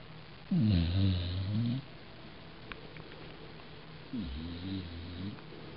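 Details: Brooklyn, a pet dog knocked out after a 4 mile walk, snores twice indoors: deep rattling inhalations over a second long each, separated by quiet breathing and a soft low room hum.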